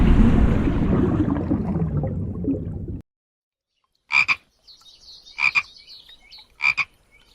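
A frog gives three short, rasping croaks about a second apart after a burst of rushing water noise.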